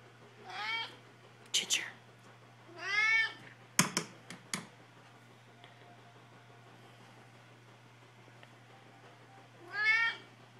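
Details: Two domestic cats meowing for food: long drawn-out harmonic meows near 0.7, 3 and 10 seconds, with sharp clicks and knocks around 4 seconds and a steady low hum throughout.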